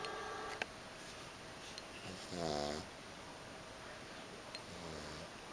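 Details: Small pug asleep, snoring only seldom: one clear buzzy, harmonic snore in the middle, then a softer, fainter one near the end, with a few light clicks in an otherwise quiet setting.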